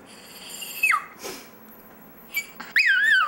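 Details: Dexter, a pet Chihuahua, gives a few high, thin howls: a held note that drops sharply, a faint short squeak, then a wavering, yodel-like tone that dips and rises before tailing off, with quiet gaps between.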